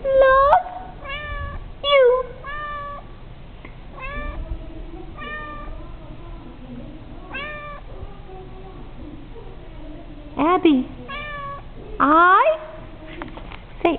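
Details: Pet cat Abby copying the words "I love you" in a small room, answering with repeated short meows, a few drawn out and wavering near the end, alternating with a person's speech.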